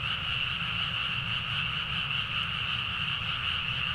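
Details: Frogs calling in a loud nighttime chorus from rice fields in Nagaoka, Niigata, Japan, Zoom H4n recording; steady overlapping high croaking with a faint rhythmic pulse and a low murmur beneath, no gaps.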